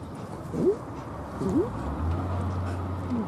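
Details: Akita dogs Fuku-chan and a companion begging for biscuits: short rising whines, three in about three seconds, the last softer, over a low steady hum.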